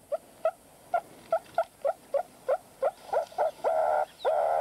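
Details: A meerkat in the Kalahari desert gives a low-urgency alarm at an approaching predator: short nasal calls repeated quickly, then growing longer and harsher as the threat nears, part of a graded warning system.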